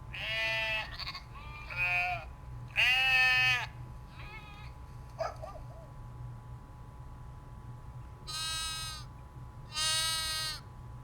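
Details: Domestic sheep bleating repeatedly: short wavering calls rich in overtones come in scattered bursts, several loud ones near the start and two strong bleats toward the end, separated by quieter pauses and a low background hum.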